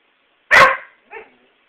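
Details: Pet dog making silly noises: one loud, harsh bark-like burst lasting about a quarter second, followed by a softer, shorter yelp half a second later, in an otherwise quiet room.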